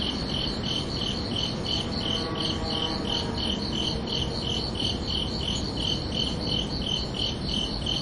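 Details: Evenly spaced high cricket chirps at night, about three per second, ringing on two close pitches above a persistent low, noisy hum.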